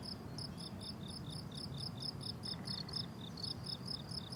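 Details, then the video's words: Crickets calling on a blooming summer meadow: bright, high chirps repeated about three times per second in a steady rhythm over constant low ambient noise. "Relaxing Cricket Sounds on a Summer Meadow"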